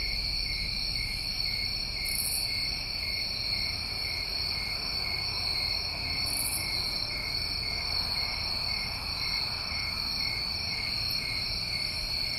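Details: Constant shrill trilling from many crickets on a New England summer recording, several steady high tones holding without pause, with two brief sharper buzzes and light low-frequency noise underneath.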